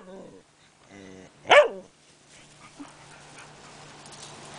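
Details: Tiara, a new puppy, romping with Cody, the family dog: faint whining tones at the start, then one loud sharp bark, followed by low room noise.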